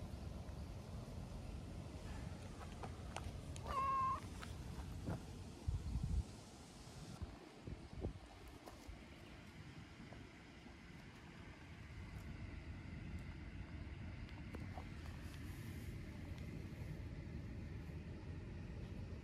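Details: Stray tortoiseshell cat rolling over on the ground gives one short, clear meow with steady tone early on, then stays silent over a constant low rumbling background with occasional faint clicks.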